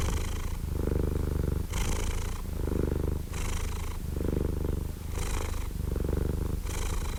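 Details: A cat purrs in a deep, even drone. Each breath cycle lasts about one and a half seconds, with airy inhale phases between the rumbling stretches.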